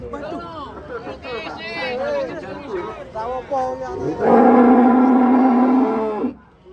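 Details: A cow gives one loud, sustained, droning moo of about two seconds near the end, steady in pitch and rich in harmonics, preceded by people talking and other shorter vocal sounds.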